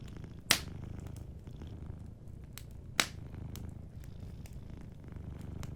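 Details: Gentle low purr of a sleeping cat running unbroken, while a crackling fire adds two loud pops and lighter ticking in between.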